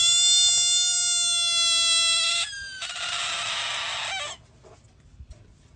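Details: A frog screaming while confronted by a dog: a loud, steady, tonal wail held about two and a half seconds, then a harsher, raspy scream lasting about a second and a half before it falls quiet.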